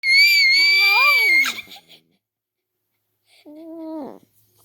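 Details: Dog giving a funny high scream: a sustained, slightly wavering shrill tone with a lower arching voice beneath it, then a pause and a shorter nasal, level cry ending in a downward drop.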